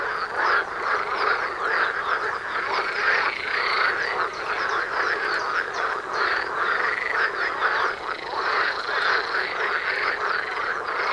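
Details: Frog chorus in front of a house door in spring mating time: dense, continuous croaking from many frogs, overlapping rattling calls with no pause, steady loudness throughout.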